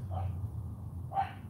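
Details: Female AKC Cane Corso puppy during a morning training session at home, being given commands such as sit and down. Two short, mid-pitched barks about a second apart over a steady low hum.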